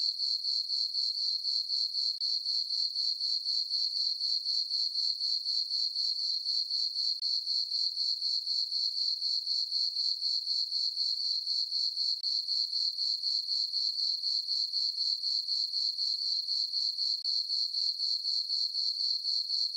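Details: Crickets chirping through a peaceful summer night in a meadow on a farm under a full moon: a steady, high, ringing trill pulsing about four times a second, very even, with no other sounds.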